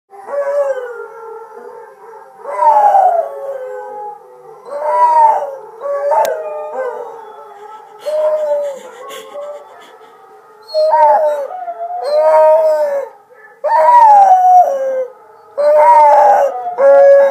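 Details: A dog howls repeatedly in long, wavering tones that rise and then slide down. The bouts come about every two seconds, roughly nine in all, with quieter whimpering tones between them. The background is otherwise quiet.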